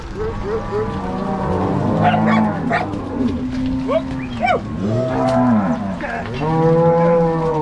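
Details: Angus-Nelore cross cows driven from corral to pasture by three cowboys with six dogs in Paraná, Brazil; deep, drawn-out moos overlapping from several animals, with short higher cries and occasional sharp sounds mixed in.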